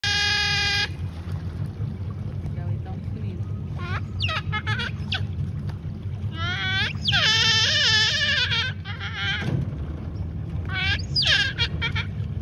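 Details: Giant otter in the Pantanal, 2021, refusing to share a big fish with a youngster; bursts of loud, harmonic, wailing squeals, some short and stuttered, others drawn out, over a constant low engine-like rumble.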